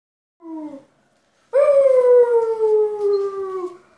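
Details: A dog howls: a brief low tone, a pause, then one long sustained howl that slides slowly downward in pitch for about two seconds before fading.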